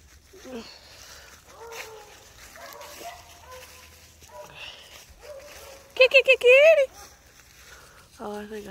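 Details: Domestic cat recorded January 18, 2023, meowing so that its owner feared something was wrong; murmured human talk first, then one loud, strongly harmonic meow arching up and down near the end, with a short spoken word after.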